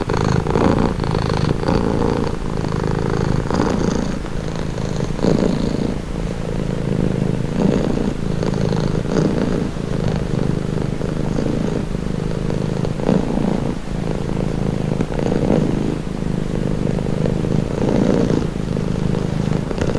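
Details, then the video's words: Domestic cat purring steadily, a calming sound; low rumbling vibration with pulses in rhythmic cycles of inhalation and exhalation, continuous throughout with no other clear sounds. "Purring cat | Calming Relaxing Nature Sound"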